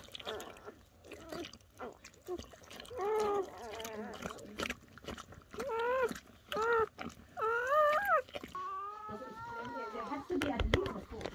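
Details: Newborn German Shepherd puppies from Betty's litter, born during her evening labour under a dim camping light, give bursts of high, wavering whimpers, rising and falling in short cries, with a woman speaking quietly and some chewing sounds.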